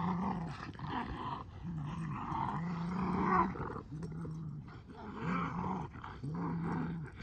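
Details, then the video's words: Boston Terrier and Keeshond playing tug with a blue ball, spinning in circles; low rumbling growls in repeated bursts of about a second, broken by short pauses, with scuffling and thumping from the play. "Funny Boston Terrier And Keeshond Are Totally Silly Goofballs While Playing Tug!"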